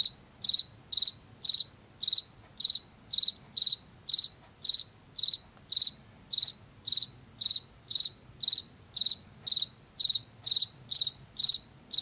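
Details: Steady song of a Washington field cricket, a species of fields and forest edges, with around two dozen sharp, evenly spaced chirps in twelve seconds and little else audible.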